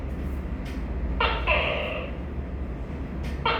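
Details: Tokay gecko giving one full two-part call, a short sharp opening note followed by a longer, harmonically rich drawn-out syllable, with the start of a second call at the end; steady low hum underneath.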